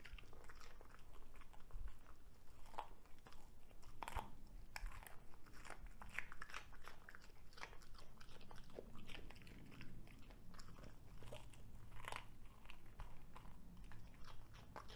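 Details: Cavalier King Charles Spaniel named Ludwig, a veggie-loving dog, chewing a broccoli stalk indoors; crisp, irregular crunches and bites come in quick bursts over a soft low background.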